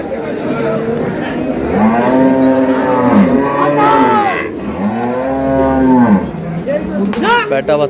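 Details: At Ambari cattle market in Dinajpur, Bangladesh, on March 6, 2026, cows with calves give long arched harmonic moos, two strong calls about two seconds each, with other cattle and crowd murmur behind.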